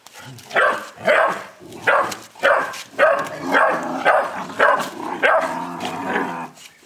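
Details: Little angry Boerboel pup aged 11 weeks giving a rapid run of rough, slightly yelping barks, about ten in quick succession with uneven spacing.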